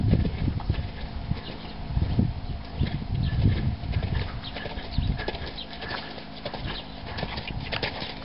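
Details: Rhythmic hoof strikes from a four-year-old stallion, heavy low thumps early on easing into lighter, sparser clicks, over a constant dull background hum.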